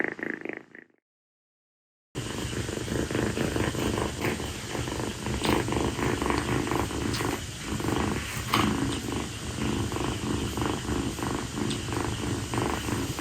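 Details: Rescued kitten, a female calico born around late April, purring steadily while lying on its owner's feet after play on a hot night indoors; a continuous low rumbling purr after a brief opening sound and a short silence.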